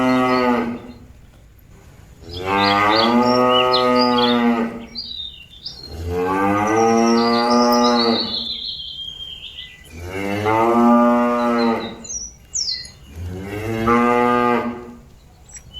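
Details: Moos of cattle calling fellow animals back to their pen: five sustained harmonic lows, each roughly two seconds, repeated about every three seconds, with scattered bird chirps behind.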